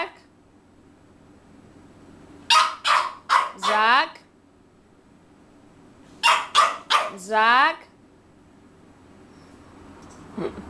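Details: A hungry French bulldog begging indoors: two bouts about four seconds apart, each of three short sharp yelps followed by a longer wavering, rising-and-falling whine, with a low steady hum underneath.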